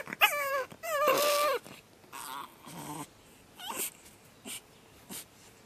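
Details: Pug puppy on its second night in a new home, screaming: high, wavering whines with rising and falling pitch, one long drawn-out cry, then short sharp yelps and squeaks separated by pauses.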